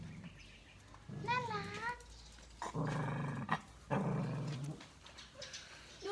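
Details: A puppy at play gives low, rough growls in bursts lasting about a second each, mixed with a higher whiny note early on and a person talking to it throughout.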